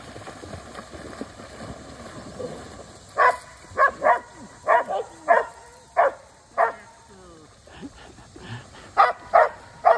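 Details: Portuguese Water Dog in the water barking repeatedly, short sharp barks in bursts after a quiet start, about one or two per second, with splashing and background noise.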